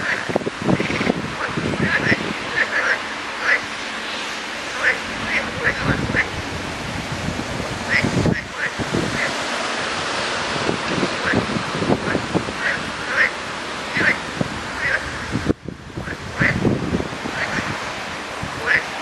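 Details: A large gathering of frogs calling together, a dense chorus of short croaks and clucks overlapping continuously, with brief higher chirps repeating throughout.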